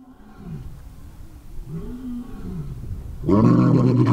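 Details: Male lion at LIONSROCK Big Cat Sanctuary, where other lions answer and echo his roars; soft low grunting moans build into a sudden loud, deep roar near the end.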